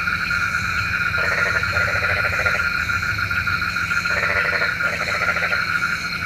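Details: Frogs at night whose calling is said to bring rain. Two clusters of quick, rattling croak bursts separated by a few seconds of quiet, with a continuous high insect hum behind.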